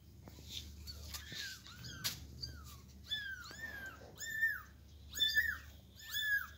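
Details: Persian kitten meowing loudly as its mother carries it from a box to the floor; high, arching cries with bright overtones, rising then dropping, repeated about seven times in quick, uneven succession, with faint room noise.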